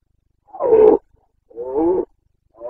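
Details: Rutting Carpathian stag in Bucovina, Romania, breeding season, 29 September 2022: loud, throaty, harmonic roars about one second apart, each a rough drawn-out bellow, with a third roar beginning at the end.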